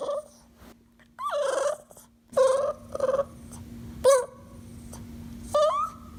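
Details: Dog giving a series of short, whiny, nasal vocal bursts, some rising then falling in pitch, spaced irregularly over about six seconds, with a steady low electrical hum throughout.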